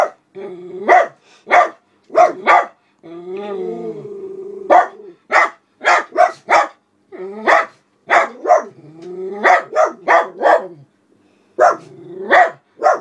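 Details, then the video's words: Two black Miniature Poodles, Alice and Charlie, seniors aged around eleven and twelve, barking indoors at a window as someone walks another dog past the house; sharp repeated barks in rapid bursts, with whining and growly moans between volleys. "Black Miniature Poodles at Window"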